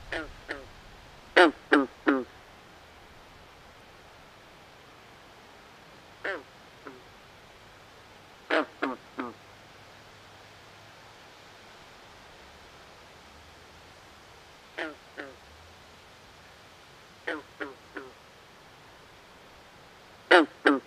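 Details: Night chorus of frogs in a swamp, loud nasal croaks in tight bursts of two to four, some very strong, returning every few seconds against a quiet, even background.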